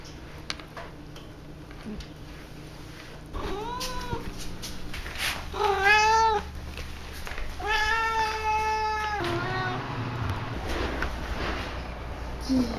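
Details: Pet cat meowing for fun: a few rising-then-falling meows, the longest held about a second and a half, each with rich harmonics, separated by short quiet gaps in a small room.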